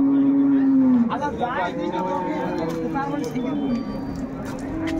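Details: Dairy cattle at Ambari cattle market, where Dhaka farmers buy improved-breed milk cows and calves, recorded 21 May 2024: a long, steady low moo opens, then fades under busy market chatter and voices.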